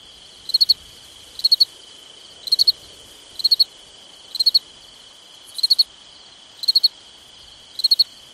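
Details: Crickets on a summer night: high chirps of three or four quick pulses, repeated about once a second, eight chirps in all, over a steady, unbroken high-pitched drone.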